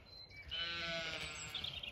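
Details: Zwartbles ewe on a regenerative farm in County Kilkenny, Ireland, coming on her own toward the orchard when called: a single drawn-out, wavering bleat lasting over a second, with faint background noise.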